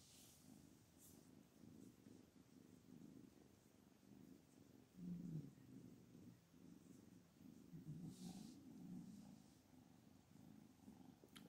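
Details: Continuous deep purring from Anna, the mother cat angry and refusing her own kittens, swelling and fading in regular breath pulses, with a few faint higher noises indoors.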